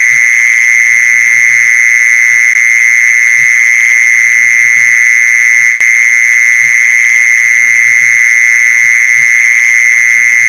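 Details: Continuous ringing trill of a mole cricket, used to attract mole crickets, holding one high pitch without a break, a single click midway and faint low pulsing below.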